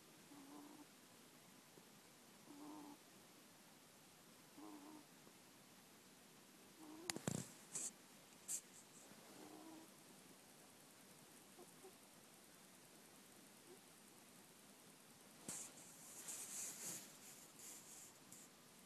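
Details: Sleeping middle-aged pet ferret giving small, modest snores, recorded on an iPhone on 26 January 2014; soft puffing "poo-poo" breaths repeat every two to three seconds, broken by clicks and rustling handling noises.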